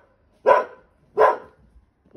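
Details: A 7-month-old male Border Collie puppy in Wales, on 2 May 2022, gives sharp, loud barks, each short and under a second apart, at his own reflection in a new garden mirror.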